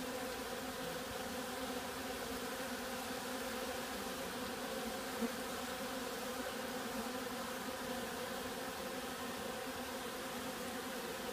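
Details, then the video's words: Bees in possible robbing or other excitement give a thick, constant hum of overlapping buzzing tones, steady in pitch and volume, with one faint brief click near the middle. "Räuberei - oder eine andere Aufregung?"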